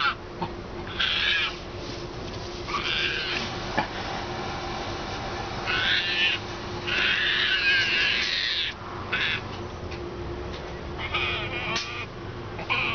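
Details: Hand-reared baby female striped hyena, hiding behind two chairs and acting defensively because she is scared of a person she distrusts. She gives bursts of high, raspy squeals, some longer and warbling, every one to two seconds over a steady low hum.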